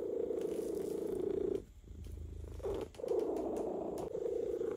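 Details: Purring from a relaxed male cat being massaged, loud and continuous with a rhythmic pulsing texture, broken once by a short quiet breath before the purr resumes just as strongly.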